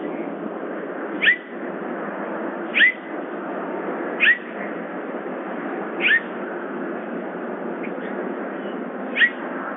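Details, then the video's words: Summer, a bobcat at Big Cat Rescue, giving 'jip jip squirp' calls: short high chirps with a hooked, rising-then-falling tone, about six spaced roughly every one and a half seconds over a steady background hiss. "Jip jip squirp. Summer bobcat at Big Cat Rescue."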